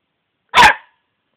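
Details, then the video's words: A single loud, rough bark from the dog Cici, abrupt and under half a second long, set in silence. "Cici hau hau"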